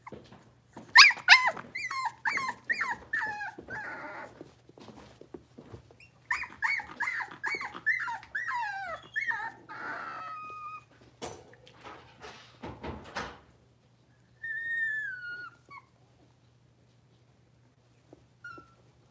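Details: Five blenheim Cavalier puppies, born on New Year's Eve and New Year's Day, moved into a big indoor pen. Bursts of rapid, shrill puppy barks come in two long volleys, followed by quieter pauses, a clatter, and a few drawn-out whiny yelps.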